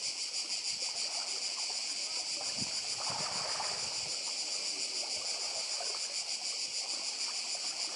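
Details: Cicada chorus recorded on Badija Island in Croatia, an intense, even high-pitched drone with rapid flutter, layered over quiet surf and water sounds.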